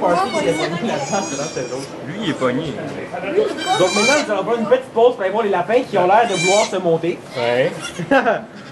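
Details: Inside a sugar shack near St-Benoît, Quebec, Canada, a goat gives birth to twins; wavering nasal bleats at about four and six and a half seconds break through continuous French talking, recorded on an iPod Touch.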